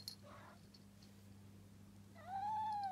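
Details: Pet cat giving a single rising-then-level meow near the end, preceded by faint brief rustles over a steady low hum.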